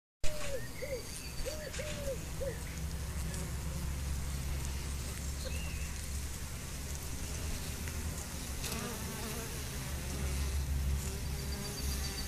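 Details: Honey bees in a colony affected by chronic bee paralysis: a steady low droning hum with a strong fundamental throughout, a few soft dove-like coos near the start and scattered high bird chirps above.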